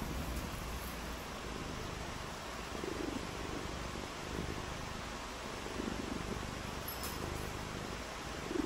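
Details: Purring cat during a rainy day of play: soft, low, rumbling purr cycles recurring every second or so, set against constant broadband rain noise, with a faint high tick near the end.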